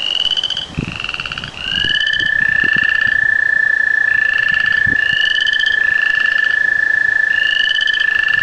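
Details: Before a rain, frogs and tree frogs call together, short pulsed rising notes repeating irregularly over a continuous steady whining tone that begins after the first two seconds.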